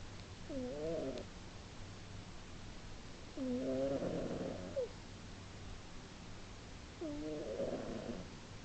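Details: Sleeping female domestic cat snoring loudly enough to be heard three rooms away, recorded March 2010; a nasal, throaty rasping snore with wavering tones, each breath lasting about a second and recurring roughly every three seconds over a low hum.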